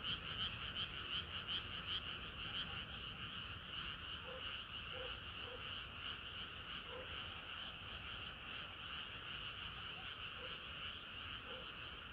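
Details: Frogs singing together on a hot summer night, a dense unbroken chorus of rapid overlapping croaks and trills holding steady throughout, with a few lower single croaks standing out now and then.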